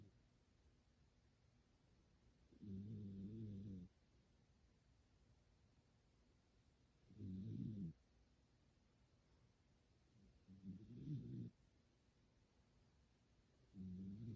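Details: Sleeping pet cat dozing next to its owner, snoring in a humanlike way; four low, rough snores roughly every three to four seconds, each lasting about a second, with near silence between.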